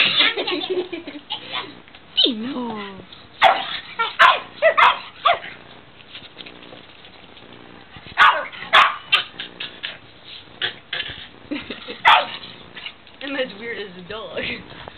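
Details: Playing pug giving its usual play barks and howls: bursts of sharp yips and rising, bending howl notes between quieter pauses, with people talking over the noise.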